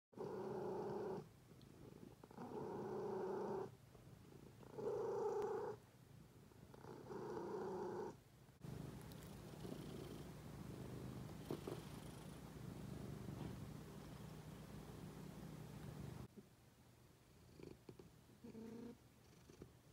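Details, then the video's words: Cats purring indoors: steady rumbling bursts about a second long alternating with short pauses, then a quieter, more continuous hum in the middle before brief bursts return near the end. "cats purring"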